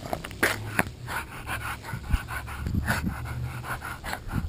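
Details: Female Boston Terrier named Maddie, filmed on a GoPro during a game of tug of war with her toy. She makes playful low grunts, snorts and panting breaths in rough bursts, with faint voices nearby.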